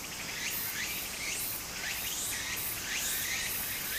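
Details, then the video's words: Summer cicada chorus by a small stream in Japan, a dense high-pitched hiss broken by upward-sweeping chirped phrases roughly every half second to second, with running water beneath. "小川の流れと蝉の声 自然音 ～夏～ Japan Sound of nature Cicada's voice"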